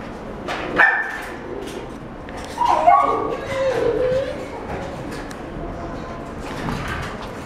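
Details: A male Welsh Corgi puppy, sable and white, born July 2016, gives a short yip, then a drawn-out whining moan that wavers and falls in pitch.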